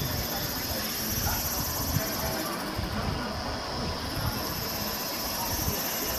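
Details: Evening chorus of Kaempfer cicadas, 17:07 on 26 May 2018, campsite area one at Valas, Namasia, Kaohsiung, Taiwan, Canon PowerShot SX720 HS; a steady shrill hiss dips briefly mid-clip then returns, with faint background voices.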